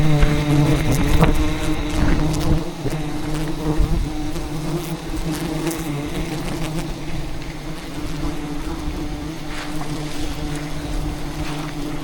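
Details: Angry wild bees attacking during a honey hunt at a giant hive hidden in dense rainforest branches; a dense, continuous low buzz holds through the clip, with scattered knocks and crackles of handling.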